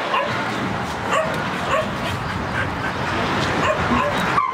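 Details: Puppies yipping; short high yelps and barks repeated about every half second over a steady noisy background.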